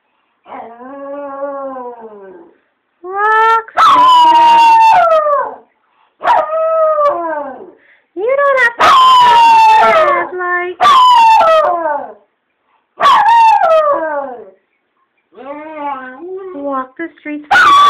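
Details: Rat terrier and chihuahua mix dog, a rescue, howling along to the song "Roxanne" on the radio: a series of loud, wavering, rising and falling howls with breaks between, some yipping notes, and faint singing or music underneath.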